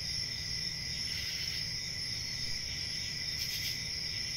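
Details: Short stretch of constant high-pitched cricket trilling, with a softer lower tone and a brief brighter burst near the end, over a faint low hum.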